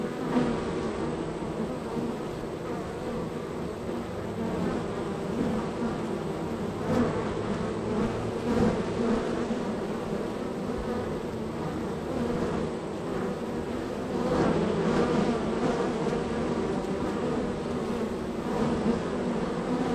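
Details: Busy honey bee hive, one of a row, extremely active with many bees entering and leaving; a dense, steady droning hum with wavering tones and brief louder swells from bees flying close.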